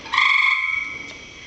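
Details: Frog in a rain barrel giving a single steady tonal call of under a second, flat in pitch with strong ringing overtones, then fading; brief human voices just before and after.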